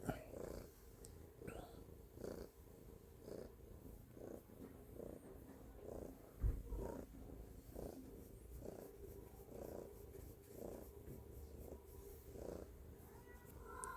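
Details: Stella, a pet cat, purring loudly: a low, rumbling purr that swells and fades in a steady breathing rhythm, about two pulses a second, throughout, with soft room noise and a brief thump midway.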